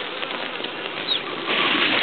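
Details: Bees at a hive four hours after being moved in from a transport package, mostly out and on pollen; a continuous droning buzz that swells louder in its final half second.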